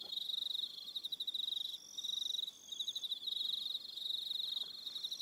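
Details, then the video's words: Evening chorus of crickets, Aroha Island, New Zealand: bursts of rapid high chirping pulses about a second long with short gaps, overlaid by steady thin tones from other insects. "Relaxing Evening Sound of Crickets"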